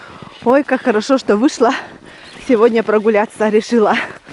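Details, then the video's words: Village Siberian husky in her heat period, on a snowy walk; two bursts of short, clipped, tonal syllables, about six in a row each, steady in pitch and quick like yelping chatter, with a brief pause between bursts. "Страшный вой хаски!"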